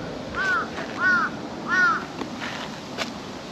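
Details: Calico cat perched on a park table in the evening sunlight gives three short, tonal, arching mews about half a second apart, then quiet with faint outdoor background noise.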